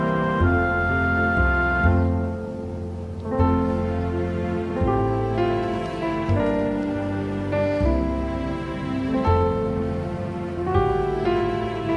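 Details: Only slow, tender instrumental music with sustained piano-like chords plays throughout, and no animal voice is heard.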